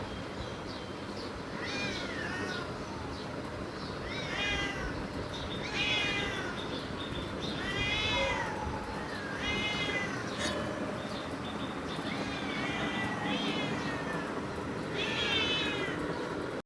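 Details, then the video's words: A pet cat calling its owner while looking at something, recorded outdoors in Bangladesh-style village setting; a series of high, arched, harmonic meows about every one to two seconds, with a steady background hiss and faint chatter. "কালু আমাকে ডাকে, কি যেন দেখছে"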